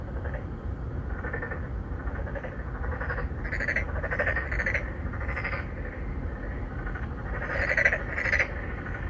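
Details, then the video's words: Narrow-mouthed frogs, three or four males courting females at an apartment-complex pond in Songdo, Incheon, Korea, recorded on a Galaxy Note9: short nasal croaks with bright overtones, repeated in overlapping bursts against a steady low background rumble. "Who are you 넌 누구냐 Narrow mouth frog 맹꽁이"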